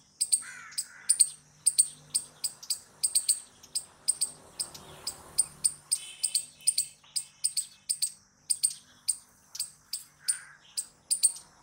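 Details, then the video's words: Steady stream of loud, high, sharp squirrel chips, roughly three each second, continuing without pause, with occasional softer lower chirps. "Squirrel Noises Loud | Squirrel Sound Video"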